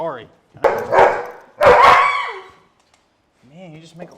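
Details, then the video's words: During a chiropractic adjustment, a loud dog lets out two harsh, raspy yelps in quick succession, then falls quiet as a person starts talking softly. "Loud dog gets chiropractic adjustment!"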